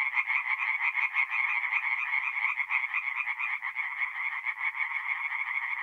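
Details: Chorus of singing tree frogs at a forest pond by night in mid-April, North-East Italy: dense overlapping rapid pulsed calls around a bright band, many frogs calling at once in a continuous throbbing wall of sound.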